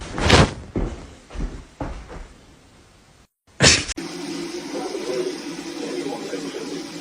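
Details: Several sharp thumps and slams, a brief dropout, then a steady indoor hiss, with no animal voice.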